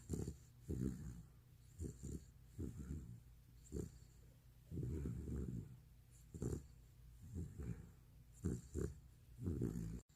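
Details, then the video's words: Retriever dog asleep, filmed two years before, giving loud rumbling snores: low, vibrating snorts in uneven bursts, some long and fluttering, others short and clipped, separated by quiet breathing pauses in a calm room. "(리트리버)의 리즈시절 코골이셋트 모음집"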